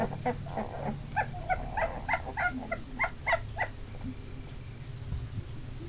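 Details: Labrador Retriever puppies from a litter of eight, two days short of three weeks old, make a quick run of short, evenly spaced whimpering yips, about three per second, fading out by the end, over a low room hum.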